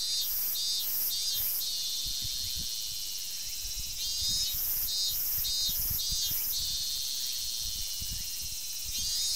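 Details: In a summer forest on 19 August 2012, a robust cicada keeps up a loud shrill drone while another voice breaks in with rhythmic pulsed bursts, about three in quick succession, repeated in two clusters.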